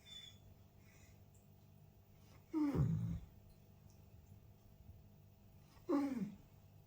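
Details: Arlo, a pet Borzoi (Russian Wolfhound) dog, 'talking' to his owner as if apologising: two drawn-out, harmonic moaning vocalizations that rise then slide downward, about three seconds apart, in a quiet indoor room with steady low hum.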